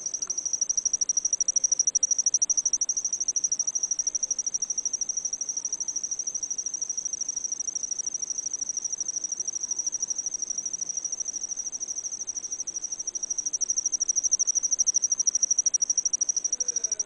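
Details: Insect love song: a continuous, steady high-pitched trill with rapid regular pulsing, sustained without pause throughout, slightly louder at the start and end; no other clear sounds.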